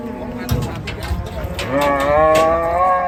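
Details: Agitated cattle (sapi ngamuk) in Indonesia, bumps and knocks at first, then a loud rising harmonic bellow swelling over the last second and a half, with clattering sounds mixed in.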